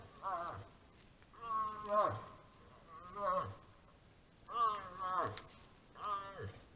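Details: Moose during the autumn rut giving drawn-out, nasal moaning calls, five harmonic cries each under a second long, falling at the end, spaced a second or more apart against a quiet background.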